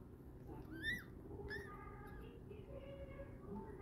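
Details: Newborn Prague Ratter pups, a day old, from Bonbon's Litter T. A couple of sharp, rising-then-falling squeaks stand out near the start, followed by softer wavering whimpers against a constant low background hum.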